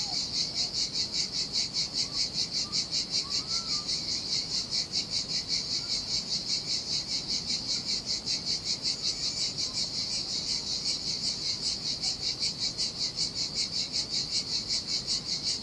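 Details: Cicadas singing in the heat on a lonely Sardinian beach: an unbroken, intense high-pitched buzz with rapid regular throbbing, gentle surf below and a few faint chirping bird notes early on.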